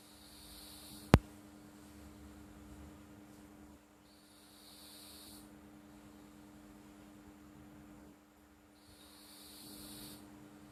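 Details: Flo, a pet cat, snores in her sleep: soft hissing breaths recur about every four to five seconds over a low rumble. A steady electrical hum runs throughout, and one sharp click comes early.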